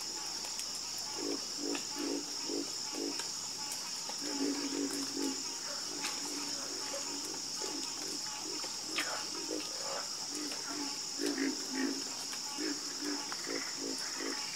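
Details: Croaking frogs in a night chorus, short pulsed notes repeated in runs of several at a time, against an unbroken high whine of crickets.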